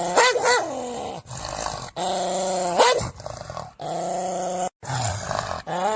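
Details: Dog voicing sustained, low, buzzy growling tones in several held stretches, punctuated by brief rising yelps and short pauses.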